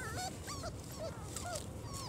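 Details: Litter of four-week-old German Shorthaired Pointer puppies on their first outing outside: short, thin whimpers and squeals, some slurred upward, others dipping, coming from several pups in quick succession over steady low background noise.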